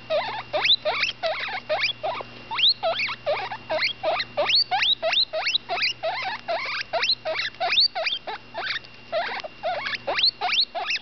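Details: A ten-day-old female guinea pig named Butterscotch squeaks while eating: rapid high upward-sweeping chirps, many per second in bursts, with a steady low hum underneath.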